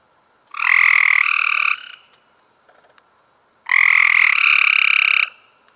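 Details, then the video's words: Two long harsh trills from Cope's gray treefrogs, May 2016, each over a second and overlapping as a second frog joins in at a slightly higher pitch, separated by a near-silent pause. "Cope's Grey Tree Frogs"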